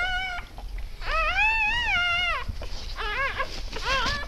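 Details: Newly born Siberian Husky pups, a litter of eight from 12 December 2015 near 20:30, squeal in wavering, arching cries, one long wail followed by shorter quick yelps over low background noise.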